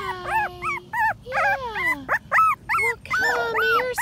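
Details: Patterdale Terrier puppies, five weeks old, at a black PVC pipe earth tunnel, whine and yelp in a rapid run of high, arched, harmonic cries, with one long sliding whine in the middle and brief gaps between.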